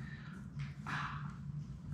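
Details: Labrador Retriever puppies, Sadie's litter of six, at play in their puppy play room; a brief squeak is followed by a short whimper midway through, set against a steady low indoor hum.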